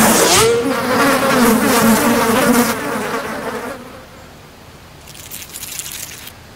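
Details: Horse-fly buzzing in flight, a loud droning hum with a steady low fundamental and many stacked overtones that wavers slightly in pitch, strongest for the first three seconds, then fading into quiet background noise.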